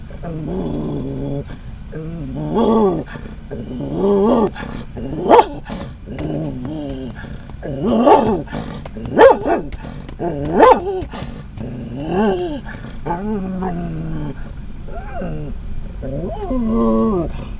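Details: A Scottish Terrier riding in a van barks and growls repeatedly in short, rough, uneven bursts at other dogs and cats it sees outside.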